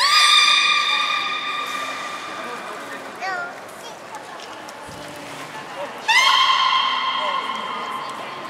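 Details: During a public training show at Port of Nagoya Public Aquarium, 4 November 2018, a captive beluga gives bright, buzzy-harmonic held tones at the start and again near the end, with a short curling squeak between them.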